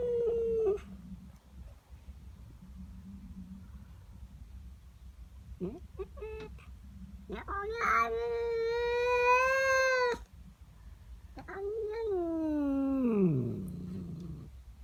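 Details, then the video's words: Female house cat upset by another cat in her garden, morning: brief whines at first, then a loud sustained yowl with a low steady base, and a final wail that slides downward into a groan; low background hum. "Cat doesn't like the neighbour cat. FUNNY WEIRD CAT NOISES!!"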